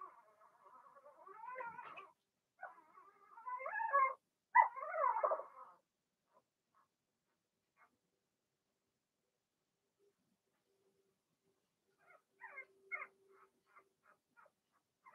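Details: Cavalier King Charles Spaniel puppies, Blenheim coloured, from a litter of two females and four males born in March, in a puppy pen; loud wavering whines for six seconds, long quiet, then quick squeaky chirps.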